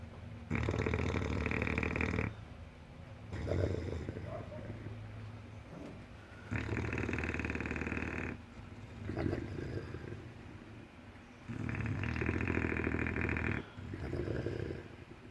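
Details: English Bulldog asleep and snoring heavily, with three loud, buzzing, rattling snores about two seconds long at roughly five-second intervals, separated by quieter wheezy snorts and grunts between breaths.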